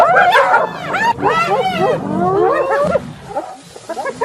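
Several hyenas giggle together in a dense chorus of rapid, high, wavering whoops and cackles.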